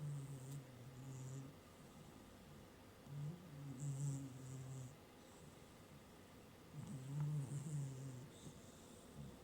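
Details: Napping house cat on a working desk snores steadily: three low, humming snore breaths roughly every three and a half seconds, each with a faint breathy hiss, in a quiet room.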